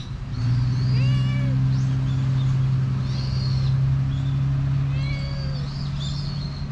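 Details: Friendly stray cat that rushes up for attention, captured on a GoPro HERO8; two clear meows about four seconds apart over a steady low droning hum, with scattered high bird chirps.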